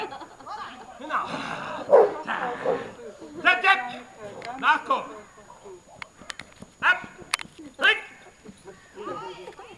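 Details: Dog barking during protection work (Schutzdienst) training at a seminar: loud, harsh barks in short bursts spaced a second or two apart, over near-constant people talking.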